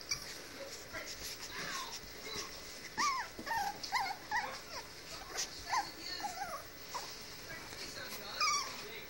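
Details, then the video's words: Three female Chihuahua puppies playing after a bath give a steady run of short, squeaky whines and yips that rise and fall, overlapping one another for the whole stretch, with a person's voice nearby. "Chihuahua Puppies Playing"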